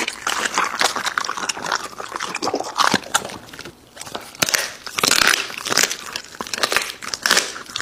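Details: Crunching and biting from an American Bully dog eating raw meat, loud clusters of bites separated by short quieter gaps.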